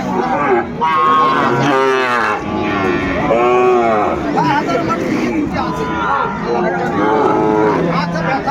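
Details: Sahiwal bull calves for sale at Ambari cattle market in Dinajpur, Bangladesh, on 18 November 2024; several short, bending moos mixed with constant buyers' and sellers' talk and crowd chatter.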